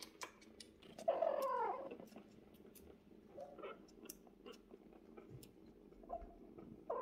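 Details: Bassy, a mother cat, with her five fluffy kittens; one drawn-out wavering mew rises and falls just after the first second, then a continuous low purr carries on beneath scattered clicks and shuffling.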